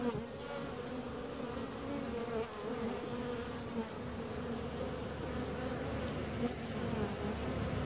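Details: Steady droning hum of bees, a continuous low buzz with overlapping tones that waver gently throughout, without pauses or other clear sounds.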